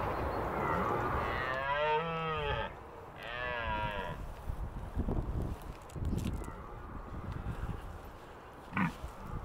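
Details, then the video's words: Red deer stag with a small harem roaring during the autumn rut in the Scottish Highlands: two long, deep, throaty bellows with rich harmonics, each about a second long, followed by quieter rustling and a sharp click near the end. "the exciting roaring sounds of the red deer rut in the Highlands"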